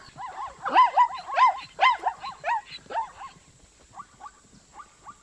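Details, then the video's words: Zebra of Africa neighing: a fast run of high, yelping barks with clear harmonic tones, loud for the first three seconds, then fading into a few faint, spaced calls. "As zebra som das zebra relinchando zebra da áfrica"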